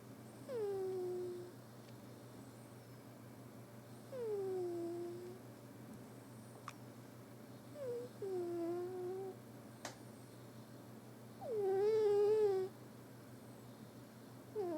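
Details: Little cat Billi snoring in deep sleep in a small room, giving a series of short whistled squeaks that drop in pitch, about one every three seconds, with faint clicks between them.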